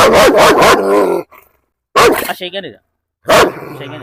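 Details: At a home in Perumbavoor, a German Shepherd let off its leash barks in three loud bursts during a dog challenge. Each burst is harsh and rapid, with brief quiet gaps and some voices between.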